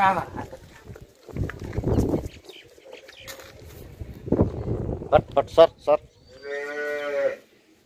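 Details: Holstein Friesian cow kept on a farm for sale, recorded 28 August 2022: a single drawn-out, steady, harmonic moo lasting about a second near the end, after rustling, thumps and brief voices.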